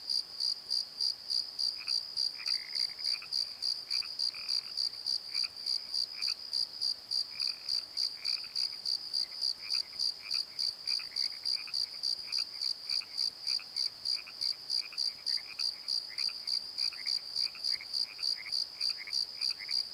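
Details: Long stretch of night crickets in a valley bottom by the Pozo tree, high regular chirps about three per second throughout, accompanied by many softer lower chirps and croak-like notes scattered across the recording.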